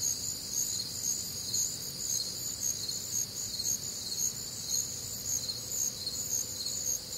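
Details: Crickets and other night creatures on a warm, humid summer night in the Midwest: piercing high chirps from several callers swell and fade in a steady pulse, over gentle low background rumble.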